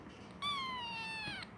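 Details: Kitten meowing before sleeping: a single drawn-out meow of about one second, starting high and sliding slowly downward with rich harmonics, in a quiet indoor room.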